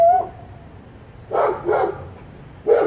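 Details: A neighbor's dog that barks constantly, heard indoors from next door. Three rough barks come in quick succession, the last after a short pause. A faint tone sounds at the start.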